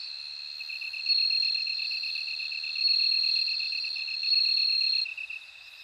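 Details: Singing bell crickets: a rapid row of high ticking pulses runs underneath, while a loud, pure ringing trill swells in three long bursts of about one to two seconds each, then drops away.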